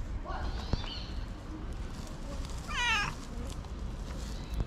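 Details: Tabby street cat meowing to thank the person feeding it: a faint, brief wavering mew early on, then a clearer rising-and-falling meow near three seconds, over steady low outdoor rumble.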